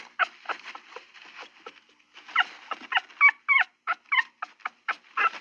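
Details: Dog uttering quiet, breathy yelps that grow into louder, sharp squeaky yips with rising and falling pitch, coming in quick, uneven succession.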